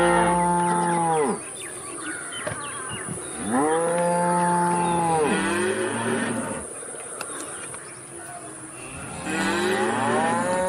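A cow gives long, low, harmonic moos that rise and then fall away.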